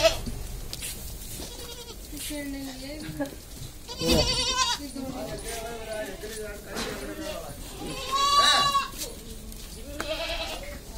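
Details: Sirohi goats, kids and pregnant does on a farm in Kishangarh, Ajmer, Rajasthan, India, give two loud, quavering, nasal bleats about four seconds apart. Men talk throughout.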